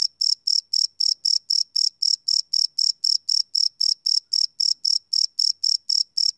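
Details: Crickets at night, recorded live on a field recorder with no loops: shrill, steady chirps repeated almost four times a second, about two dozen evenly spaced pulses with no other sounds.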